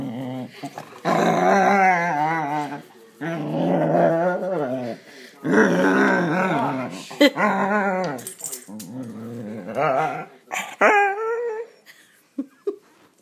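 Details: Pet male dog vocalizing indoors, a dog that sings along with other dogs and grunts, groans and shrieks with pleasure at belly rubs; long wavering, quavering moaning tones in bursts of two to three seconds, rising and falling, ending in shorter yelps.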